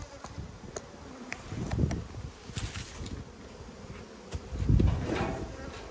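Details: Honey bees from a strong colony humming during an Australian hive inspection in a food dearth, 5 February 2022; low, steady droning hum with louder swells near two and five seconds, a few sharp clicks and handling knocks.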